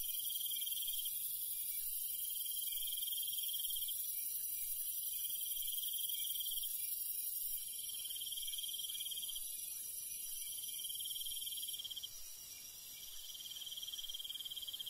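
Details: Night-time countryside crickets give short bursts of high chirping trills, each lasting about a second, separated by brief pauses, over a dense background of shrill insect hiss.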